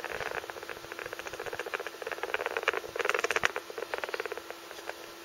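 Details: Pet rat called Shafta making strange noises that worry its owner as a possible health symptom: a rapid, steady series of soft clicks or chatters, several per second, over about five seconds, with a faint constant high hum behind.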